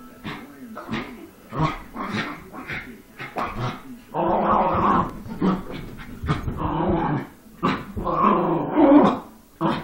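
A Schipperke sings in drawn-out, wavering yowls and growly moans, with a person's voice in between.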